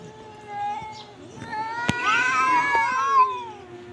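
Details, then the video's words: Domestic cat meowing: a drawn-out, wavering meow that rises and bends in pitch, followed by a louder, strained cry near the end, with a faint sharp click midway. "Cat miyao"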